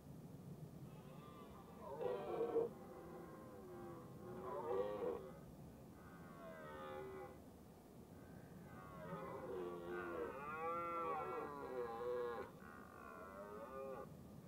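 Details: A red deer hind and her large calf give nasal, bleating, drawn-out calls wavering in pitch, repeated over a few seconds, during the rut as a stag herds them up a hill.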